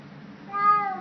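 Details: Cat heard while eating, indoors; a short single meow rising then falling, with a voice asking whether it is eating already just before.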